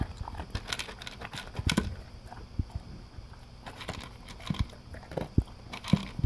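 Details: English cream golden retriever, male, eating dry food for breakfast from a blue slow-feeder bowl with concentric circles; sharp irregular crunches and clicks of kibble being bitten and chewed, some louder bites near the end.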